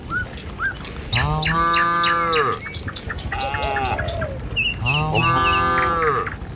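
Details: Village cattle heading down a road to the pen in the morning; two long, steady, deep harmonic moos, each about a second and a half, separated by a quieter gap, with faint bird chirps and footsteps behind.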